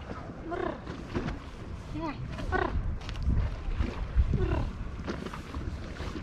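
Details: Hungry tabby stray cat living on a wharf in Istanbul, waiting beside fishermen for fish; several rising-falling meows in the first three seconds, overlaid by low wind rumble and a woman speaking softly.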